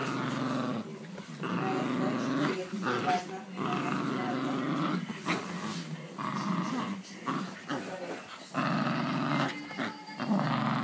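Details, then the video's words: An angry Havanese gives sustained low, rough growls that swell and fade in uneven waves, with brief higher yips near the end and a person talking softly in the background. "Angry Havanese!"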